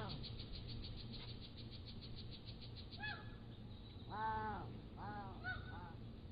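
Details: Young Pallas's cats, 3 to 7 weeks old, recorded on a motion-activated trail camera: a short series of rising-and-falling harmonic mews, four or five in quick succession, with constant thin bird chirping behind them.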